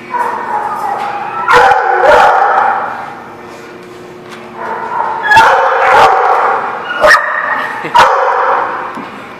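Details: Dogs barking at a boarding or daycare lot, recorded January 19, 2019: loud harmonic barks in bursts around two, five to six, seven and eight seconds, with overlapping yips and a steady background of other dogs.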